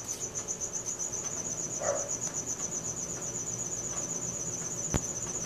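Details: Crickets at night, recorded on a Samsung Galaxy S4 phone: a steady, high, rapidly pulsing chirp that runs without a break, with a brief faint lower sound near the middle and a single sharp click toward the end.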